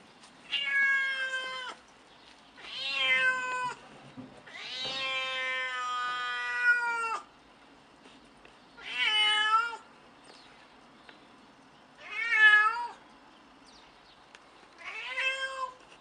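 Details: Mitsy, a cranky elderly domestic cat of about 14, meowing indoors: six drawn-out harmonic meows, some rising then falling, one long wavering cry near the middle, spaced by short pauses, quiet room otherwise.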